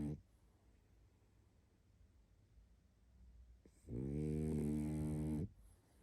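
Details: A tired pug called Barney asleep: quiet breathing for a few seconds, then one loud, drawn-out rumbling snore lasting around a second and a half.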